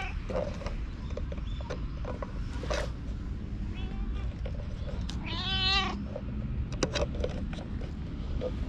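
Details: Park stray cat in Japan, filmed on a GoPro, gives one clear wavering meow midway, preceded by faint short mews, amid low background rumble and scattered rustling and tapping sounds.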